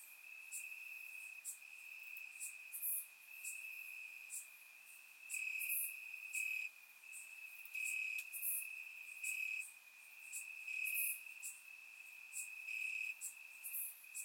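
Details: Warm summer night in Bulgaria with crickets chirping in grass: an unbroken high trill, its loudness rising and falling in bursts about every one to two seconds, plus scattered higher ticking notes.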